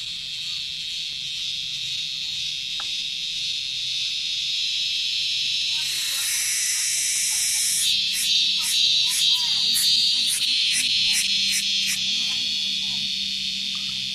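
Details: An insect found on Gunung Datuk, the source of a noisy "kriuk kriuk" sound, gives a steady, high, hissing buzz that swells louder, then breaks into rapid rhythmic pulses.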